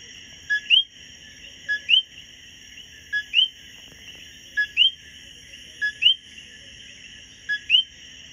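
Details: A common coqui, a male, repeats its two-note 'co-QUI' song on a B&B patio in Hormigueros, Puerto Rico: a short low note followed by a rising whistle.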